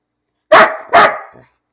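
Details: Two loud, sharp barks about half a second apart from the pet dog Bean, who barks for no reason, amid the owner's talk of lying down and a treat.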